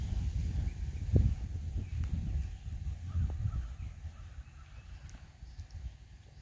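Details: Percheron gelding under a rider: dull, uneven low thuds of hooves with two sharper impacts near one and three seconds, over a steady deep rumble that fades toward the end.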